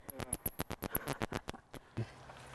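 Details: A female common noctule bat, caught in the UK, gives a rapid run of harsh, clicking squeaks when handled; these are distress calls, not echolocation.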